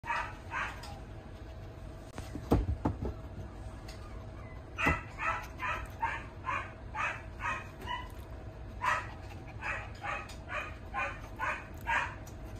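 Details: A young male Maltese–Yorkshire Terrier mix, born March 2023 with a steel-blue-and-tan coat, gives quick, high yappy barks in rapid runs.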